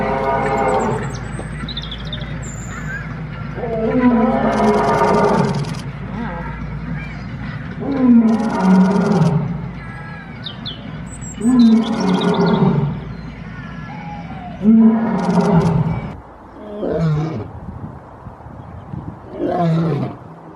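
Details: Lion roaring loudly: a series of deep, drawn-out roars with rich harmonics, each swelling and falling, coming about every three to four seconds, then tapering into shorter, quicker grunts toward the end.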